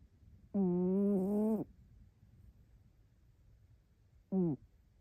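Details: An orange-and-white rescued cat snores while curled up asleep, occasionally in a questioning tone. A long humming snore rises and then dips, roughly one second long, and is followed after a pause by a brief, falling snort. The background is quiet.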